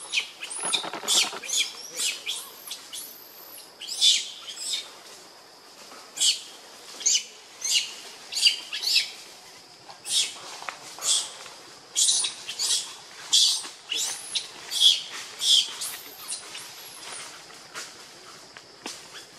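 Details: Baby monkey Lucie, pitiful and hungry for milk, crying; high, thin arched squeals in close bursts with rhythmic clicking pulses throughout, loudest peaks every second or so.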